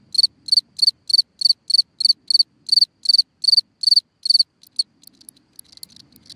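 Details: A cricket sings at night at a hole in the ground, giving a run of loud, evenly spaced high chirps. After about four seconds they break off into faint, scattered ticks and soft rustling.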